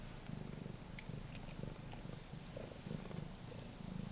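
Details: A three-week-old male blue point bicolour Ragdoll kitten, born 28 February 2016, purrs steadily with a low, unbroken, pulsing rumble while its mother licks it.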